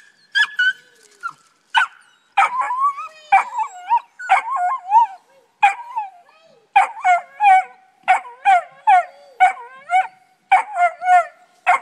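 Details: Two pups, Dusty and Honey, treeing: sharp barks and yelping bays come in quick bursts, some with wavering, howl-like tails, several voices overlapping, with short pauses between volleys.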